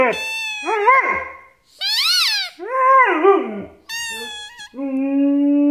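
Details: Max, a one-and-a-half-year-old Siberian Husky, talks to a squeaking toy: a run of wavering, moaning yowls that swoop up and down in pitch, about five separate bursts, ending in a steady, flat tone.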